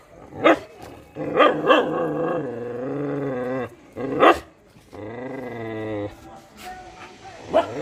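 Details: Domestic dog making sharp barks between long, steady, moaning tones that hold level for a second or more, with some human speech mixed in.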